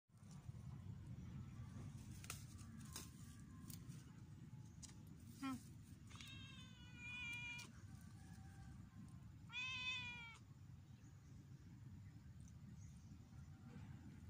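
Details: Domestic cat named Luna, during training and play: two clear drawn-out meows, the first wavering and rising then falling, the second shorter and bending upward, over a steady low background hum with a few faint clicks.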